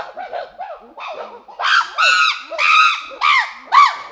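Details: Group of chimpanzees moving from quieter hoots to loud screaming: a few soft arched calls, then shrill, harmonic-rich screams arching up and down, repeated about twice per second.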